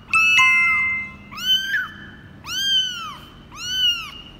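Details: Kitten aged 24 days, one of Laki's litter in Cambodia, mewing while being weighed for the first time, January 2020: four loud, high, arching meows, each about a second long, close together with brief pauses, in a quiet indoor room.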